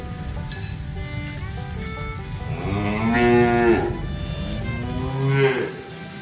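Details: Village cattle in a herd heading home along a quiet rural road on a cool evening, a patient herder behind them; two long, low moos bend upward then fall, over steady background music.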